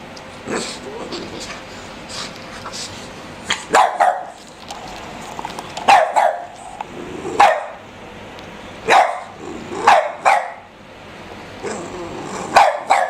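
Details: A one-year-old Boston terrier plays on a dog couch with an 11-week-old black pug puppy; sharp yips and short barks come in scattered bursts amid rustling and soft thumps.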